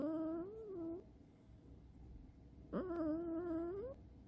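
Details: Asleep indoors, the male Scottish Fold Chirol makes higher, nasal, wavering snores, two short tonal rasps about a second long separated by a breathy gap.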